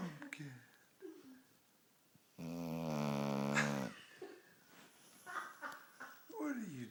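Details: Pumpkin Smooch, a female dog asleep and possibly dreaming, lets out one long, buzzy, drawn-out snore lasting about a second and a half, framed by people talking and laughing softly nearby.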